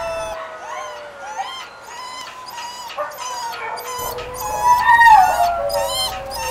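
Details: Male Beagle/Pug mix, two years old, crying to be let out of his kennel: repeated tonal whines, some bending upward like short howls, growing louder and more insistent toward the end.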